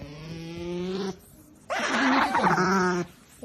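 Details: Pet otter Melonpan, female, making noise indoors; two drawn-out harmonic calls, a steady low tone of about one second, a short pause, then a louder, brighter, wavering cry lasting over a second.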